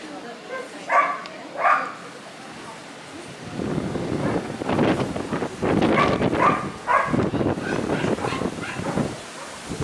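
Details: Hokkaido dog at a dog show on 1 September 2019 gives two short, harmonic barks about a second apart near the start. Crowd chatter and murmuring voices then take over for the rest.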